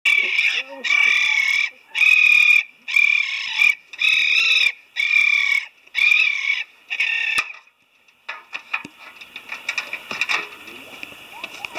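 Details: In Koga, Ibaraki, Japan, six young raccoons, trapped from a nest inside a house after their mother was captured, give high, harsh, wavering cries in bursts under a second long, about once a second.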